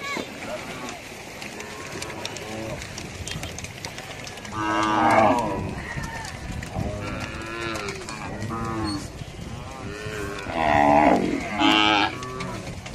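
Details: Cattle crossing, lowing repeatedly: drawn-out harmonic moos overlap through the stretch, with louder bursts around five seconds and again near eleven and twelve seconds, over a constant outdoor background hiss.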